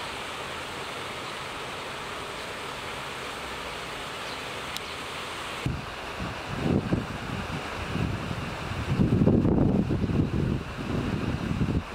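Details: Steady outdoor background hiss gives way to low wind buffeting and rumbling handling noise, with no animal calls.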